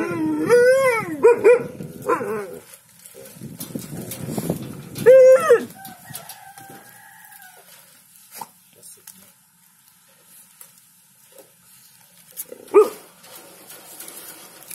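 An Alaskan Malamute gives wavering, howl-like yodels that rise and fall, while a person talks to it.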